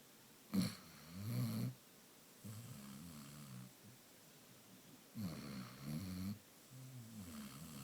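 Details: Basset Hound Amaya asleep and snoring in a quiet room, low buzzing snores with a wavering, rattly pitch coming in pairs, the louder pairs about every five seconds, each opening with a short sharp snort.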